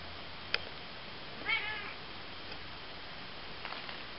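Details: Ocicat kittens, eight weeks old, indoors; a single short, bright meow about a third of the way in, preceded by a sharp click, then near silence with a few faint soft rustles at the end.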